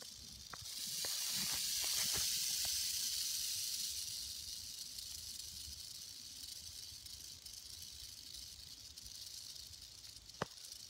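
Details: Timber rattlesnake in Arkansas: a steady high dry buzzing rattle swelling over the first seconds, peaking around two seconds, then fading to a softer continuous hiss, with a few sharp clicks.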